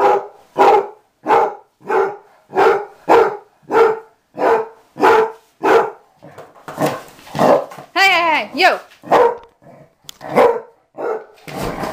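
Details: Regular barking from Mamie, a dog of about six or seven, once kept outside and now learning to be an inside dog; a run of even barks is followed by a rising and falling whine and a person speaking.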